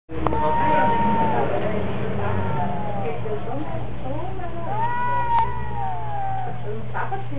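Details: Cats locked in a strange battle, giving long drawn-out wailing tones that hold level then slide downward, several overlapping howls across the clip, over a steady low electrical hum.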